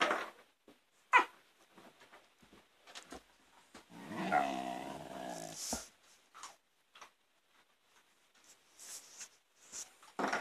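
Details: Siberian Husky puppy playing with his older brother indoors: a low, rumbling growl of about a second and a half mid-play, surrounded by scuffling, knocks and clicking claws.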